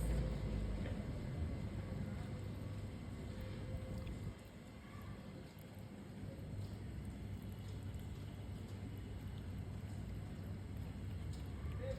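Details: Low rumbling wind noise buffets the microphone, with a faint steady tone and no animal sound.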